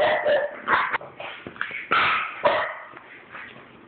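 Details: French Bulldogs in a disagreement, one a 9-week-old puppy; rapid rough yaps and growling barks tumbling over each other, about six bursts in under four seconds, fading to softer grumbles.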